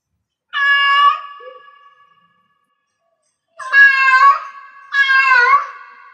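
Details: Cat in heat giving three drawn-out, wavering meows, the first alone and the last two close together after a long pause, each note trailing off into a lingering, echoing tail.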